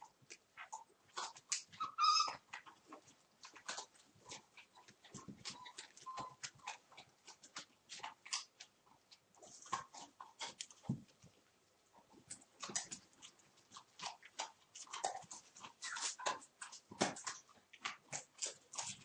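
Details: One-month-old puppies of the Torfheide 'B' litter at play, recorded 19 December: scattered short high whimpers and yips among many sharp clicks and scuffling noises, with quieter stretches between busy bursts.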